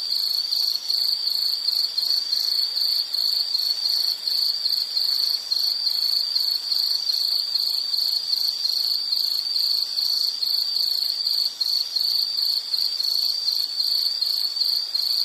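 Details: Continuous shrill insect chirping from a nature sound recording, rapid high pulses running unbroken for the whole stretch with thin overtones above and nothing else audible.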